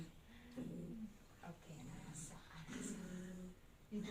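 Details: A poodle makes drawn-out, word-like whining yowls rising and falling in short phrases, as if calling "Yaya" or nanny for help.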